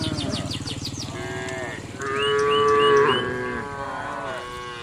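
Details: Cattle grazing on green grass: a low, buzzy, rumbling moo gives way to a louder, higher, drawn-out bellow that swells and then fades, with faint bird chirps behind.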